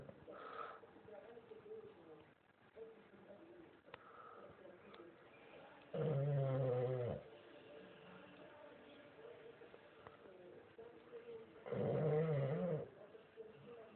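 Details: Sleeping dog snoring: two loud, low, rasping snores about six seconds apart, each lasting about a second, with quiet breathing and a faint indoor background murmur between them.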